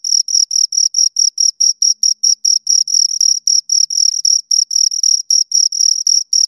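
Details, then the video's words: Two crickets giving continuous shrill chirps, evenly spaced bursts several per second at a high pitch, the two callers blending into one busy rhythm against silence. "Two Crickets Chirp Sounds"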